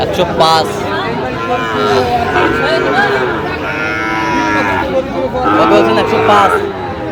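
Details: Sahiwal breed bull calves low at the Aftabganj cattle market on 16 August 2025. Strong harmonic moos swell near two, four and six seconds amid busy market talk and haggling voices.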